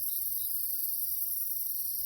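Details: Night insects in the Jamaican countryside under moonlight keep up a continuous, high shrilling drone of several steady, overlapping pitches, holding evenly with only a faint low rumble beneath.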